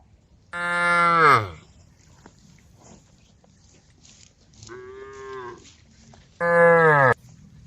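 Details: Field cows calling friends as they eat grass, the mother cow going berserk; a loud, falling bellow, then a softer, higher moo a few seconds later, and another loud descending bellow to finish.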